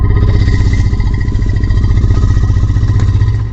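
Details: Asian elephant (Elephas maximus) in Kaziranga, India, gives a deep, steady rumble, a contact and greeting call between individuals and a way to keep the herd together.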